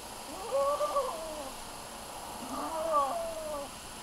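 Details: A goat named Romeo, calling to establish dominance over Coal, gives two wavering, bending bleats about two seconds apart against a steady hissing background.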